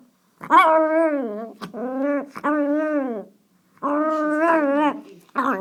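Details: Pet teacup Chihuahua growling at something out the window: long, wavering, whiny grumbles, each lasting about one to one and a half seconds, separated by brief silences, in a nasal, gremlin-like tone.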